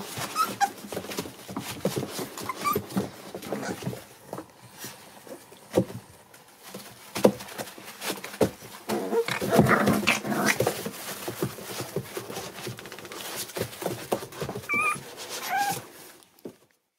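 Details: Seven American Bully puppies born December 8, 2019, heard indoors: steady shuffling and scratching of bodies, then a few short, thin, high whines near the end.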